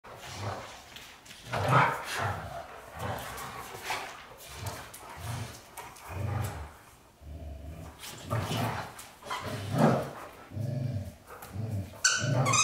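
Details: White Golden Retrievers James Bond and Luna, two dogs, giving low rumbling growl-barks in rhythmic bursts roughly every half second to one second, with a brighter sharper sound near the end.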